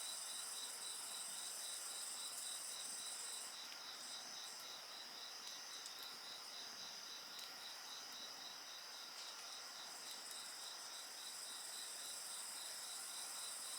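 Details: Dense insect chorus by a fire: a regular, fast beaded trill of high pulses continues unbroken throughout, layered over a shimmering, sustained high-pitched ringing, with only faint crackling from the flames.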